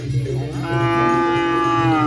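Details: Cattle at a Kerapan Sapi bull race: a long, drawn-out moo that holds a steady, buzzy tone and rises slightly at the end, over a constant low droning hum.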